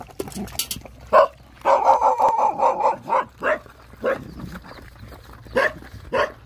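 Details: Rottweiler with nursing puppies, hungry: a few quick yelps lead into a sustained, wavering whine lasting over a second, then separate short yelps follow at uneven intervals.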